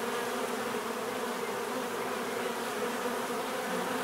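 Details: Short stretch of natural bee buzzing: an even, continuous drone of overlapping hums without breaks.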